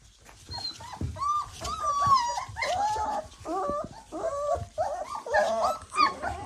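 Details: Litter of three-week-old puppies excitedly whining and squealing as their mother comes in for feeding: overlapping high, wavering whimpers and squeaky rising-falling cries, continuous and crowded, with faint background noise.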